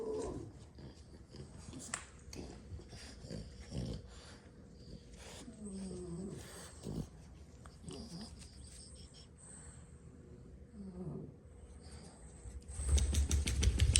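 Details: Several sleeping French Bulldogs, six siblings napping indoors after play; low rumbling snores with irregular breathy pulses, a few faint nasal tones, and a louder rustling burst near the end.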